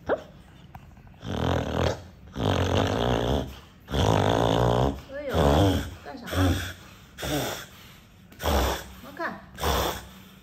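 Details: Sleeping dog snoring extremely loudly, its snores likened to an electric drill: harsh, rumbling rasps in bursts of about a second, repeating roughly every second, around eight in all, with quieter breathing gaps between.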